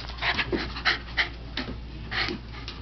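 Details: Patterdale Terrier puppy at home, apparently wanting something, panting in quick breathy bursts about three times a second with soft huffs between, as his owner keeps asking what he wants.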